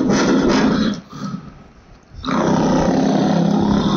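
A lion roars: deep, rasping, full-throated bursts broken by a brief pause.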